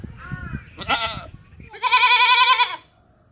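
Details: Domestic goat bleating: two short wavering bleats, then a longer, loud, harmonic-rich bleat with a slightly quavering tone lasting about a second before silence; faint background music at the start.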